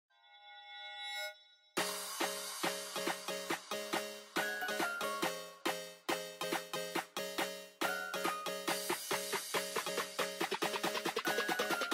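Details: A short chime gives way to bright, rhythmic plucked instrumental music with a bouncy beat and no animal sounds.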